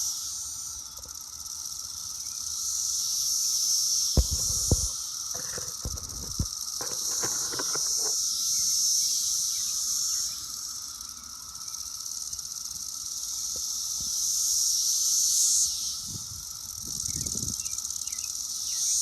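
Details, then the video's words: A dense, steady, very loud chorus of Brood X periodical cicadas singing on an apple tree on June 6, a continuous high hiss with a lower droning hum. "Brood X cicadas singing on my apple tree"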